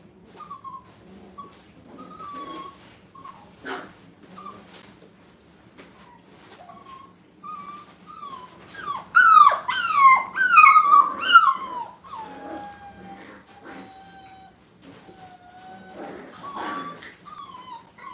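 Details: A group of five-week-old puppies placed in a playpen for the first time, crying in repeated high whines; scattered single whimpers build to a dense cluster of overlapping, falling yelps in the middle, then ease off again.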